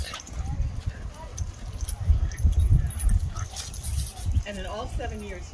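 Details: An Italian Greyhound Chihuahua mix playing with another dog: low thumping and scuffling rumble throughout, then a short run of high, wavering whines and yips near the end.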